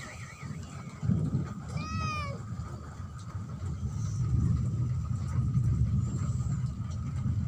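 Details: A cat gives a single short wavering meow, rich in harmonics, over a steady low rumble of passing traffic and vehicle noise.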